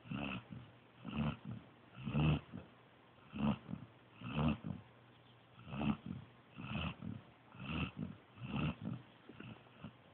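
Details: Snoring from Joby, a sleeping pointer pup: a steady series of rasping, low breaths, in and out, roughly every second, with a few stronger voiced snorts among softer ones.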